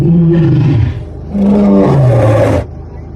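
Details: Two low, throaty growls from a Bengal tiger, the first sagging downward and the second starting steady before falling into a rumbling roar that breaks off abruptly.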